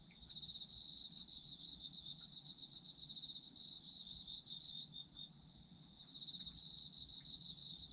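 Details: Autumn insects singing together, sleep ASMR recording: a rapid ticking trill rides over a continuous high-pitched ringing, breaks off near five seconds, then resumes after a short pause.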